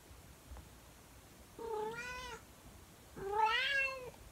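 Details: Calico house cat singing indoors in the morning: two drawn-out, rising-and-falling meowing howls about a second apart, fairly quiet against a faint background hiss.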